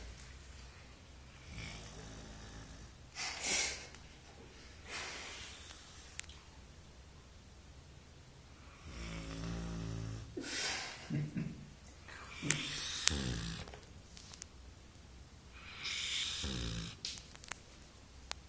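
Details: A 4-month-old female Golden Retriever puppy snores in rough, breathy bursts every few seconds.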